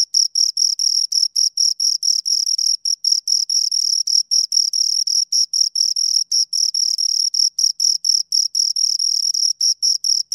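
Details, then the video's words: Two crickets chirp continuously, a piercing high-pitched pulsing song with an upper overtone, the pulses running in uneven clusters separated by tiny gaps, no other sounds audible. "Two Crickets Chirp Sounds"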